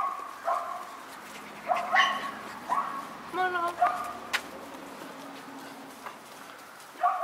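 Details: Four white Miniature Schnauzer puppy sisters born September 10 yipping in short high squeals, several in the first four seconds and one more near the end, with a human voice mixed in.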